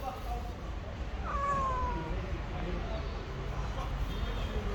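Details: Street-dwelling stray cat giving a single long meow that starts high and slides downward, followed by quieter murmuring voices over a constant low background hum.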